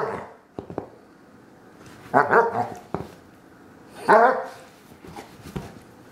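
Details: Wilma, a female Bloodhound indoors, making her bored 'someone play with me' sounds: two loud, harmonic, moaning bark-like calls about two seconds apart, with soft snorts and short clicks between them.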